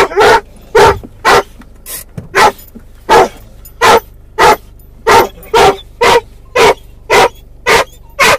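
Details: Mungle, a doberman/collie cross wearing a muzzle in a car, calling for his lost Moromom toy: a fast, steady series of about fifteen loud barks, nearly two per second, over a quiet engine hum.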